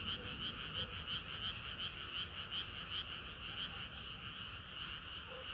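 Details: Summer-night frog chorus with clear rhythmic croaks, each pulse bright and rasping, repeating roughly three times a second, plus a few scattered lower notes from other frogs.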